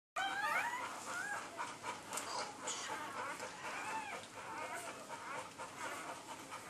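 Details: Labrador Retriever puppy at birth, the last of a litter of eight, a red female. Thin, arching high squeaks come in quick bursts at the start, then rustling and faint squeals carry on throughout.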